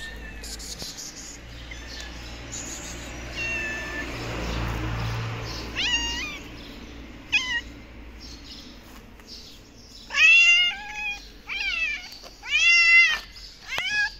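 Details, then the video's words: Hungry, thin black stray cat in Morocco, dying of thirst and possibly with newborn kittens, gives repeated harmonic meows that rise and fall, several clustered in the last four seconds, with street background noise and faint higher chirps. "The black cat is very hungry and thin and is dying of thirst. I think she has newborn babies"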